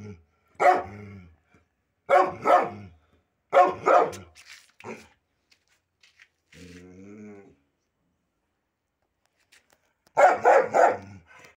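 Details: Pit bull, one of a pair of pet dogs said to have a cool nature, gives loud harsh barks in bursts about every one and a half seconds. A drawn-out tonal whine follows after a pause, then a quick triple bark closes.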